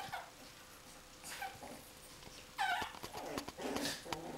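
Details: Coton de Tulear dog at play indoors, giving short whiny whimpers and yips with soft growly bursts, the busiest stretch in the second half.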